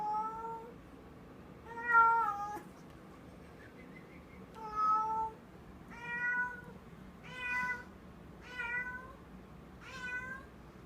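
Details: Female house cat holding a new toy in her mouth, as if it were real prey, giving odd muffled meows indoors: a drawn-out low note followed by clear rising-falling meows repeated roughly every one to two seconds.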